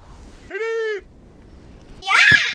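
A desert rain frog gives a shrill, steady squeak, like a squeezed dog toy, as an angry war cry.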